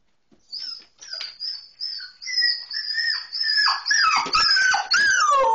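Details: Portia, a Border Collie, whines with excitement before a car ride: a run of high, drawn-out whistling whines, each bending in pitch and growing louder and denser toward the end.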